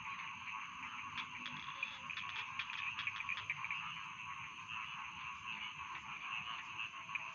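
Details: Rice field frogs calling together in a dense chorus of rapid, rattling croaks, with sharp clicking pulses scattered throughout and a steady faint high tone in the background.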